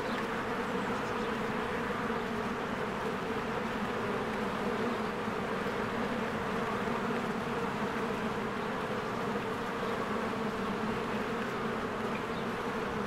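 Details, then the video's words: Many honeybees working at their hive in spring while flowers bloom: an unbroken, even drone of wings with no pauses, and scattered soft bird sounds far behind. "1 Hour of a Beehive ASMR | A Spring Nature Ambience Sounds"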